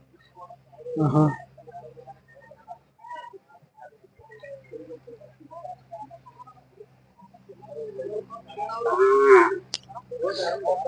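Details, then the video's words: Hallikar cattle at the weekly Sunday cattle fair in Jodugatte: a short low moo at the start and a longer, fuller lowing call near the end, with men talking throughout over a steady low hum. "ಜೋಡುಗಟ್ಟೆ ಸಂತೆಯ ಹಳ್ಳಿಕಾರ್ ತಳಿಗಳ"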